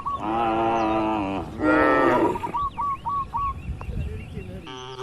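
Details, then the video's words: Tame cattle gathered in a crowded farm pen, with two long, harmonically rich moos in the first half followed by a quick series of short, hooked chirps repeated about five times and softer rustling. "Banyak Sapi lembu di Kandang Peternakan 😄 | Suara Moo Menghibur!"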